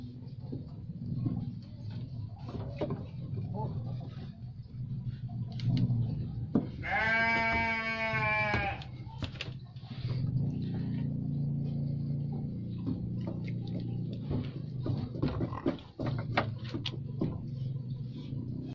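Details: Single drawn-out, quavering bleat from a Garut sheep midway through, surrounded by low rumbling background noise, faint voices and clattering.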